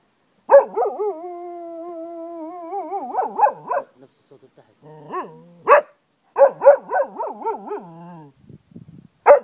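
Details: Cocker spaniel Zeeko, a family dog in Ajloun, Jordan, gives a long, steady, wolf-like howl that breaks into wobbling, pulsing notes, followed by a second howl and sharp yips.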